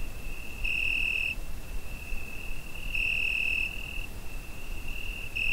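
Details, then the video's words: Crickets on a summer night, recorded on a Zoom H5; a continuous high, thin trill holds steady while one voice swells louder in two bursts of under a second each, over a low background rumble. "Summer Night Cricket Sound Effect"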